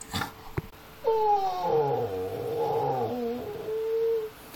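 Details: Pitbull XL and Amstaff XL mix at 7 in the morning, nagging to be let into the back garden. It gives one long, steady, drawn-out whining howl lasting over three seconds that sags slightly in pitch toward the end.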